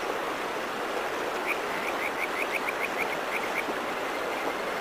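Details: Kajika frog calling in the countryside mountains: a run of about ten short, rising, whistle-like notes that quicken and then ease off over two seconds, set against the steady broadband rush of a flowing stream.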